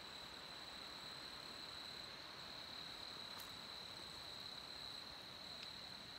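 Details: Brood IX 17-year periodical cicadas molting in an apple tree on May 31, 2020, give a steady, high, whining drone that holds one even pitch without a break.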